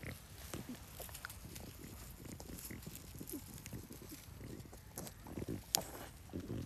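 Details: French Bulldog Oleg grazing on a garden plot after discovering a taste for strawberries, giving low, quiet snuffling grunts and snorts in a steady stream, with faint rustling around him.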